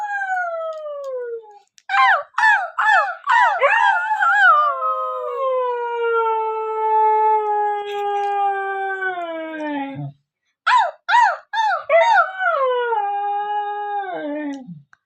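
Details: Husky howling at home: a falling howl, then quick arched yelps leading into one long, steady, slowly descending howl of about six seconds, followed by more yelps and a second drawn-out howl that drops away at the end.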